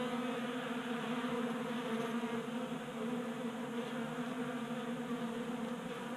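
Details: Many honey bees feeding at a 3D printed table-top feeder in a garage in Colorado during a warm January spell, giving a dense steady buzzing hum with overlapping wingbeat tones, no other clear sounds.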